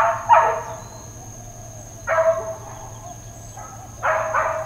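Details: Dog barking at Hawaiian Paradise Park, Hawaii, on Labor Day, September 2, 2024, part of long intermittent uncontrolled barking: three loud, harsh single barks spaced about two seconds apart, over a faint steady high whine and low hum.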